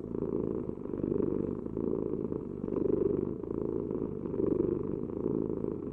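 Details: A cat purrs continuously. The rough, low throbbing rises and falls in slow breathing cycles roughly every one and a half to two seconds, and the background is otherwise quiet.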